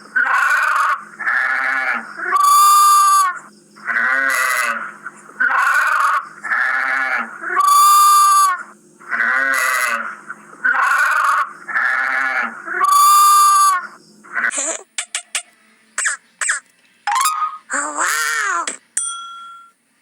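Sheep bleating in a steady series of harmonic, wavering baa calls.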